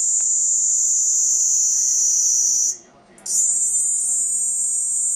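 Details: Cicada producing a shrill continuous buzz that dips and cuts out for about half a second midway, then resumes at full strength.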